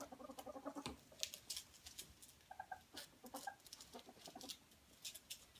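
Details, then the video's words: Playful ferret wrestling, opening with a quick run of low clucking pulses, then scattered short chuckles among sharp scuffling clicks and rustles. "Frettchen quietsch vergnügt"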